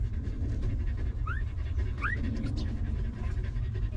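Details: Stray mother dog with her puppies, sheltered and fed after living rough; brisk panting breaths throughout, joined by two thin upward-sliding whimpers in the middle, over low rumbling background.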